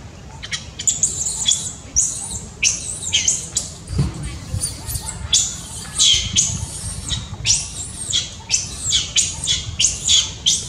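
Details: Baby monkey crying very loudly for its mother's care: shrill, high-pitched squeals in short bursts, some with falling tails, coming in irregular clusters over a steady low rumble of background noise.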